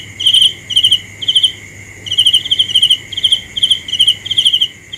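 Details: Night cricket giving grouped chirps, several pulsed trills then a brief pause and more, over a steady high background hum.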